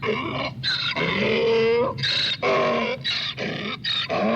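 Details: Donkey bray with long, strained, rasping honks and squealing overtones. The phrases run in an almost unbroken, heaving sequence with brief breaths between them.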